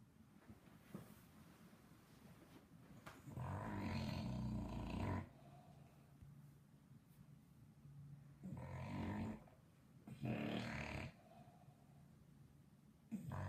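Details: Loud snoring from a sleepy English Bulldog: long rasping inhalations lasting one to two seconds, repeated several times with quieter breathing gaps between them.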